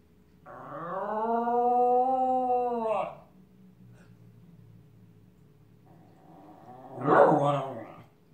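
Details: Siren-imitating howl from Shotsy, a male Miniature Schnauzer: a smooth, level howl of about two and a half seconds ending with a drop, quiet, then a short, louder, rough yelping burst near the end.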